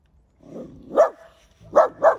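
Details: Efa, a stern four-year-old female Central Asian shepherd dog kept with a dachshund, gives a low grumble and then three short, sharp warning barks showing displeasure, the last two in quick succession.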